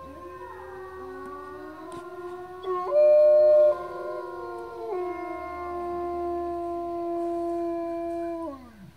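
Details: Several gray wolves at Bays Mountain Park howl together in long, sustained tones that hold steady, bend, and slide downward.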